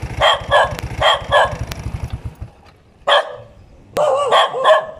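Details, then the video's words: Dog giving quick paired barks, two pairs close together, then a lone bark and a final burst of three rapid barks, with a low rhythmic mechanical throb fading out early on. "เสียงหมาเห่า ถ่ายหมาเห่า"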